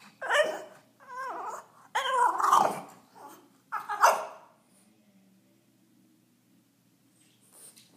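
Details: French Bulldog indoors, straining to reach a tennis ball on a couch, giving wavering, whiny whimpers mixed with grunts in bursts over about four seconds, then falling mostly quiet.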